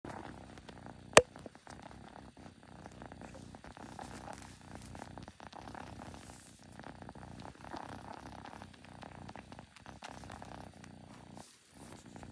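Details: Kitten making unusual noises indoors: a steady, low rumbling purr made of rapid even pulses that runs through the whole stretch, with one sharp click near the start and a faint background hiss.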